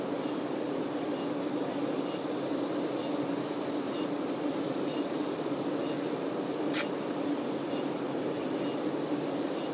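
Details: Worker honey bees attending the queen give a continuous thick droning buzz, low and unbroken, with soft repeated high chirps behind and one sharp click near the end.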